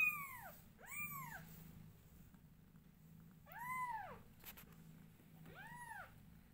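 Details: Loud meowing from newborn kittens as their mother grooms them, four high arched cries rising then falling, two close together at the start and two spaced later, with a soft low purr underneath.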